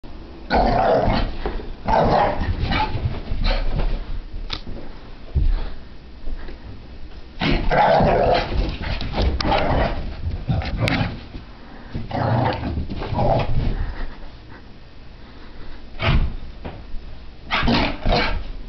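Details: Sophie, a French Brittany Spaniel puppy, tears around a living room during a frantic random activity period, letting out rough, throaty growls and gruff bursts in uneven clusters, mixed with thumps and scuffles from running.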